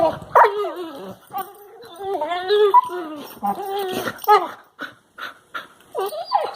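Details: Two Labrador Retriever puppies playing with each other in a living room, recorded March 2, 2018, give squeaky, wavering whines and short yelps that slide up and down in pitch.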